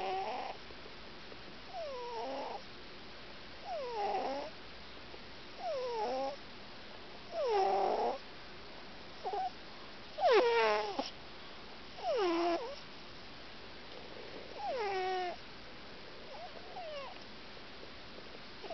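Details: Gymble the cat snoring while asleep with eyes open; wheezy whistled tones that dip and level off come at uneven intervals, some joined by louder rasping breathy bursts, over low room hiss.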